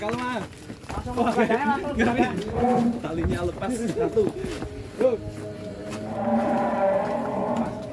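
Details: Extreme cattle weighing over one ton, in action as it comes out of its pen: low harmonic mooing bursts overlapped by people's voices, ending in a longer steady drawn-out moo.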